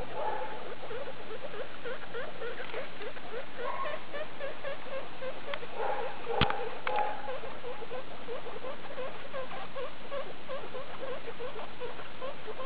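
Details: Skinny guinea pig mother with her babies from a litter born 2 August 2012, kept indoors and recorded 19 August 2012: dense, steady run of short squeaky chirps, roughly two per second, with a few brief sharper clicks midway.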